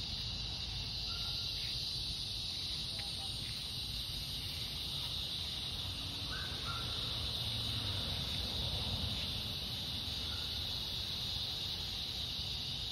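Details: Cicadas fill a summer evening on August 4th, in fading light, with a steady, high, hissing drone that never lets up.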